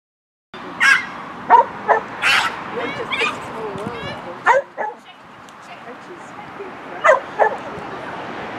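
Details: Parson Russell Terrier, a 16-month-old male, during agility training; a handler's voice mixes with short sharp yips and barks, several in quick bursts then spaced out, over a continuous background hiss.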